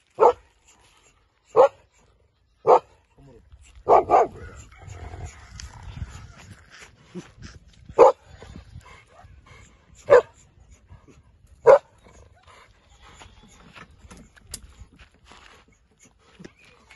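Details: Female German Shepherd, 14 months old with a double coat, giving about eight loud, sharp single barks at uneven intervals over seventeen seconds, with quieter low rumbling and faint voices between them.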